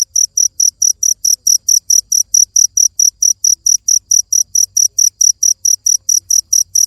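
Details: A cricket chirps without pause. Bright, shrill pulses come at a brisk, regular rate, about four each second, over a quiet background.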